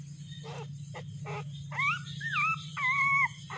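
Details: Puppy crying while searching for its mother: a few short, breathy yelps, then drawn-out, high, whining cries that slide up and down, over a steady low mechanical hum.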